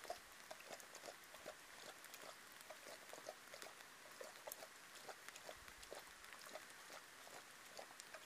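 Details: A brown hyena (Parahyaena brunnea), recorded by a live-stream camera at Seskant Krip, Rietspruit Game Reserve in the Greater Kruger area, gives a rapid run of short, low, pig-like grunts and snorts.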